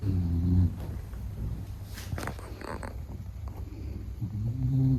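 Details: A sleeping Beagle named Meta gives low, rumbling snores at the start and end, separated by a stretch of soft rustling and faint broadband shuffling.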